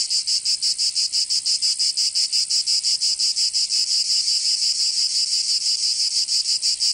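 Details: Cicadas in summer in Provence, southern France, producing a continuous shrill buzz beaten into quick regular pulses, around three each second, steady and unaccompanied.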